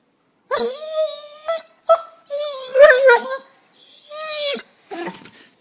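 A Basset Hound gives drawn-out, wavering howls and yowls in several bursts to wake its owners.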